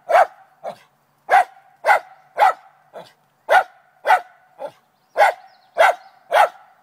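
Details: Lakeland Terrier named Trina barks at a chipmunk in a downspout one morning; loud barks alternate with softer, shorter ones in an uneven rhythm of roughly two per second.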